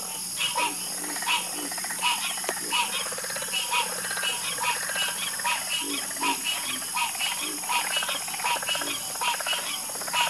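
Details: Night chorus of many frogs in a soothing nature recording: dense, irregular croaks and short trills overlapping, a lower throaty call now and then, all over a constant high-pitched insect drone.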